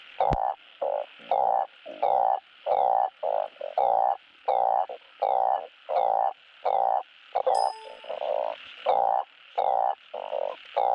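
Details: Balloon frogs calling for mates, recorded for playback to encourage breeding on a frog farm: loud, nasal croaks repeated in a steady run, more than one per second, with one brief metallic clang near the end.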